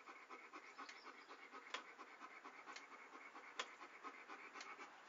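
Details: Dog panting for relaxation: quick rhythmic breathy puffs, soft and airy, with a few sharp clicks standing out over steady breath noise.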